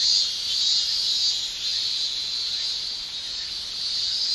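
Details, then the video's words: Japanese summer cicadas, males sounding their tymbals, giving a continuous high-pitched shrilling drone that wavers gently in loudness and is strongest near the start. "Japan Summer Cicada Shrilling"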